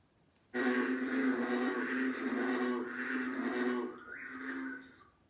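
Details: At the very beginning of frog and toad season in Alabama, an American bullfrog gives a low, growly, droning call, rumbling like an engine rather than a ribbit.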